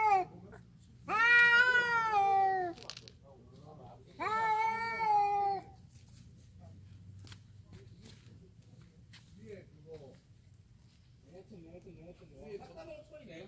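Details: Two orange stray cats in a territorial standoff, howling at each other: two long, drawn-out wavering yowls rich in overtones, each about one and a half seconds, with a pause between, then faint rustling.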